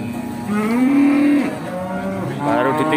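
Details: Cattle lowing at the Bekonang animal market in Sukoharjo, Indonesia, where a Pegon calf was brought for sale: a drawn-out, rising moo of about one second, then a second moo starting near the end, over faint market murmur.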